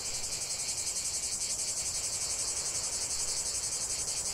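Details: Steady cicada chorus outdoors, a high, grainy electric hum that pulses quickly and evenly, filling the whole stretch with no breaks.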